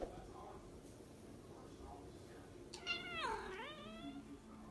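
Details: A single long Korat kitten meow, starting high and bending downward before trailing off, heard against a soft, low indoor background with faint murmurs.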